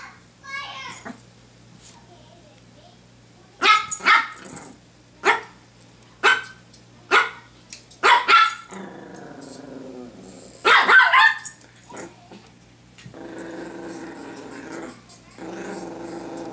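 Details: Pomeranian, Honey, playing indoors with a hair clip: a run of short, sharp barks in a burst of about six over five seconds, followed by growly vocalising and a woman's voice speaking.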